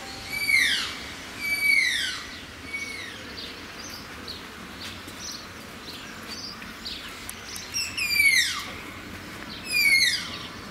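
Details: Malayan tapirs at Zoo Antwerpen give high, squeaky whistles that slide sharply downward with bright overtones. Four strong calls come in pairs near the start and end, with fainter whistles scattered between them over a steady background hiss.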